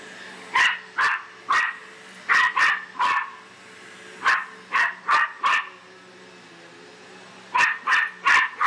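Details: Bear, an Australian silky terrier, barking nonstop at a vacuum cleaner; rapid runs of high, piercing barks in groups of three to four with gaps between, steady hum underneath.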